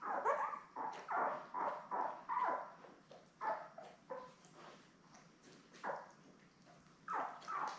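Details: Litter of seven newborn Lab puppies, born May 24, 2021, beside mother Belle on a live cam, giving a steady string of shrill squealing cries about two per second, some fading into softer whines.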